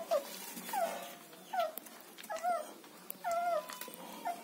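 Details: German Shepherd puppies in Chennai giving short, high, whining whimpers that dip and curl, about one every half second to second, with a faint background hiss.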